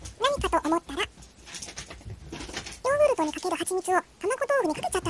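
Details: Brown tabby cat Ojako 'talking' indoors with dense, rapid strings of short arched meows. The notes come almost without pause, forming a brief lull midway and then a second lively burst.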